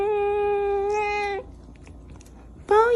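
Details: Angry pet cat indoors uttering a long, steady, nasal meow over a second long, then a pause and another loud meow starting, harmonic and wailing in tone.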